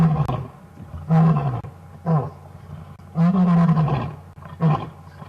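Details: Wild male lion roaring at close range from a safari vehicle on an afternoon drive, deep grunting roars repeated about every second, each a short rumbling burst with strong low tones, followed by quieter pauses.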